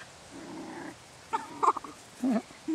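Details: Parson Russell Terrier puppies in summer 2011 give short, thin whining yelps, a soft murmur first, then a few sharp rising squeaks and a wavering whine near the end, over quiet background.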